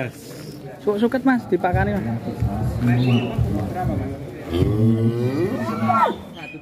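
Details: A large, heavy cow gives a drawn-out lowing moo. The call is deep at first, then bends upward and fades near its end, mixed with men talking nearby and background music.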